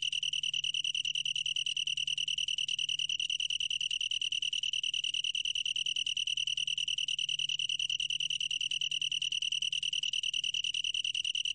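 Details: Steady high-pitched trill of a long-tailed tree cricket, a bright ringing tone made of rapid, even pulses that runs without pause throughout.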